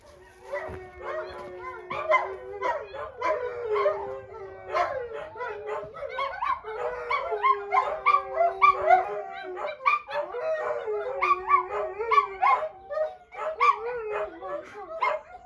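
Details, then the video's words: Four dogs kept indoors during a farm tour in County Kilkenny, Ireland, howl their displeasure: overlapping wavering howls and yips, several voices rising and falling at once, continuous through the clip. "4 dogs aren’t allowed out out so howl their displeasure"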